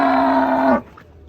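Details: An unruly cow being unloaded from a truck gives a single steady, full-bodied moo lasting under a second, ending abruptly, followed by quiet background.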